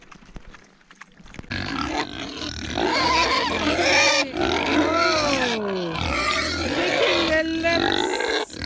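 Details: Kunekune pigs on an off-grid homestead farm in central Portugal squeal and grunt noisily at feeding time, high sliding squeals over low grunting, while a person talks, on a misty morning after night rain.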